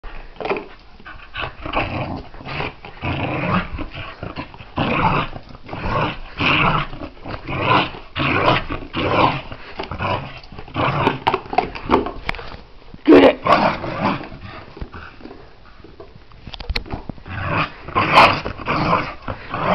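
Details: Pembroke Welsh Corgi indoors playing with tupperware; a long run of rough, throaty growls in irregular bursts, mixed with rustling and bumping of the container throughout.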